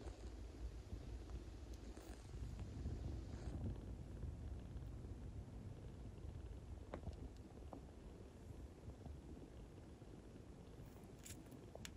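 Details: A traditional Siamese or Thai mother cat licking her young kitten to make it pee, kept as a pet in the Netherlands; a steady low rumbling purr runs throughout with faint clicks and rustles of licking.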